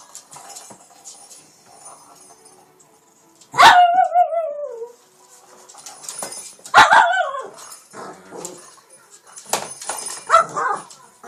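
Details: Shih Tzu King Bubba, a house pet in Pennsylvania, attacking a cat toy late at night: two loud, sudden yelping barks that slide downward in pitch, separated by quiet scuffling, then a softer yip near the end.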